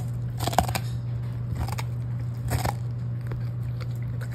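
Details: Pet Golden Retriever Lucky chewing cabbage as a snack in a small room; a few sharp crunchy bites, loudest near the start, over a constant low electrical hum.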